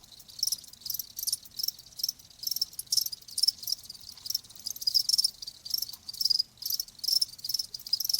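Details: Crickets in a nature-sound recording offered as soothing sound for tinnitus and sleep: dense, high-pitched shrill chirping in rapid pulsed bursts, several overlapping callers, no other clear sounds.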